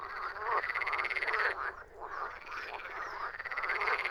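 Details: A steady chorus of croaking frogs, made of quick raspy pulse trains repeated several times a second by overlapping callers, with a brief dip in loudness near two seconds.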